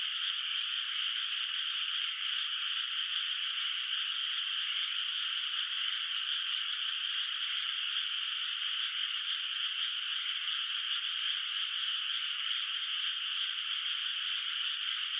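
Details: Distant frogs calling at night in a moonlit countryside rice field whose water is not yet planted with rice. A dense, steady chorus of high rasping calls merges into a continuous shimmering drone, with no other clear sounds.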